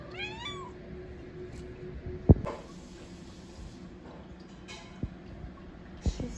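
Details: A cat being introduced to another cat at a sleepover gives one short, wavering meow at the start, followed by a quiet room with a few thumps and clicks.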